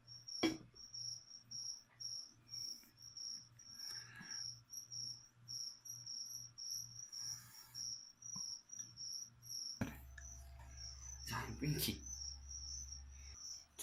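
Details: Crickets used as live food for a leopard gecko keep up a rapid, regular series of short shrill chirps for fourteen seconds, broken by bursts of scraping and clattering handling noise.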